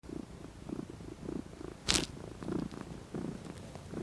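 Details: Domestic cat relaxing and lounging in the sun, purring: soft low rhythmic pulses repeating under a second apart, with one sharp broadband click or bump near the middle.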